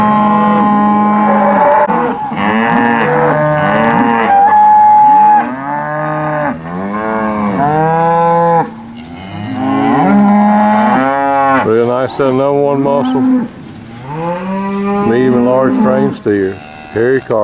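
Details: Steers at a cattle auction in Alabama, described as medium to large framed: repeated long, loud moos from several animals, steady-pitched bellows alternating with arching wavering calls, nearly continuous with short pauses.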